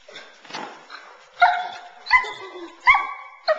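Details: Young female Boerboel, nine months old, in sleeve protection work kept focused on the man; rising strained whines repeated roughly every three quarters of a second after faint noisy start.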